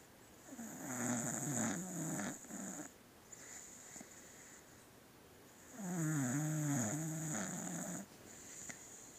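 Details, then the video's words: Pet beagle snoring while asleep in a small room, two drawn-out rattling snores, each lasting about two seconds, with wavering low buzzy tones and quiet breathing between, over a faint constant high-pitched hiss. "Beagle snoring"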